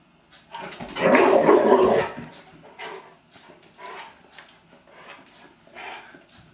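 A Rottweiler barks in defence of its home, opening with a sustained, booming bark. Shorter, rougher barks follow at roughly one-second intervals, some softer and whining at the edges.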